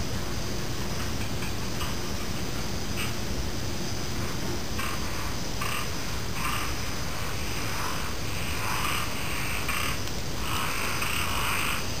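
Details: Frogs heard together with insects: quiet at first, then from about five seconds on, repeated harsh croaks sound every half second or so. A continuous high-pitched insect buzz and a low rumbling background run throughout.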